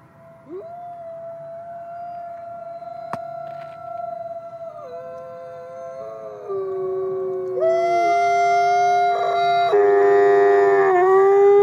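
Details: Alawa, a female Canadian/Rocky Mountain gray wolf born in 2011, howls at twilight at the Wolf Conservation Center, South Salem, New York. A long, steady howl steps down in pitch, then other rising and falling howls join in a loud chorus.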